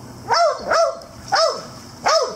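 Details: Standard Poodle among a group of standard poodles and two mixed-breed dogs playing and swimming at a private dog pool in Spring, Texas: four sharp, ringing barks about half a second apart.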